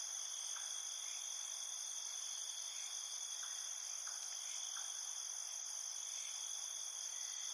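Crickets fill the night with a continuous, shrill trilling, several high tones layered into an unbroken wall of sound. Faint, brief lower chirps flicker now and then beneath the main chorus.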